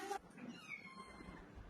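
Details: Domestic cat during its bath makes a faint, drawn-out meow with a thin, slightly wavering tone lasting about a second. A brief click comes at the start over quiet room noise.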